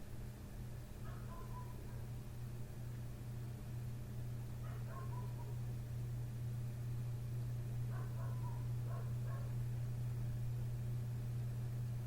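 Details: A neighbouring dog outside a window keeps barking late at night, from 1:30 am past 3 am; short barks in spaced bursts every few seconds, set against a strong, steady low-pitched hum.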